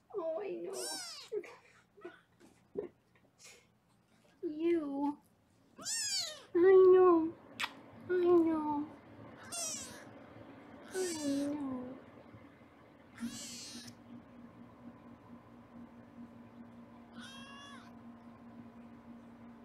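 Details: Foster kittens indoors in Los Angeles, filmed on a live kitten cam while being weighed, give repeated high, arching meows, some short and some drawn out, at irregular intervals, with a woman's voice and a low steady hum in the room.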